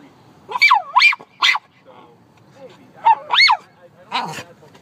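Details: Lyla, a dog, barking at birds: paired high, yelping barks with a rising-falling bend, a gap, then another pair and a lower bark.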